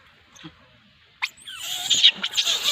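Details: Monkey screaming: near silence for the first second, then a sudden harsh, shrill squeal followed by a dense run of high, rasping screeches to the end.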